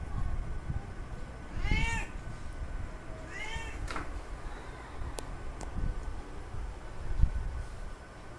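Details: Male cat calling a female in heat: two wavering meows close together, set against heavy low rumbling noise and a few sharp clicks.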